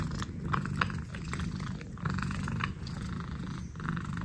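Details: Orange house cat licking at the air, giving a continuous deep purring drone with brief moist tongue clicks and smacks scattered over it.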